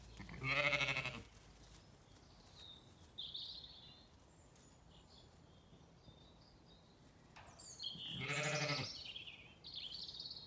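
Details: Zwartbles ewes and lambs at a farm gate in County Kilkenny, Ireland, calling to be let through: two loud, wavering, harmonic bleats about seven seconds apart, with bird song whistling between them.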